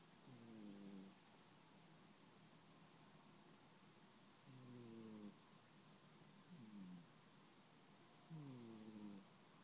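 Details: Sleeping domestic cat snoring indoors: each breath carries a whistled, harmonic nasal tone that slides downward and lasts about a second, repeating roughly every four seconds over a low rumbling hiss.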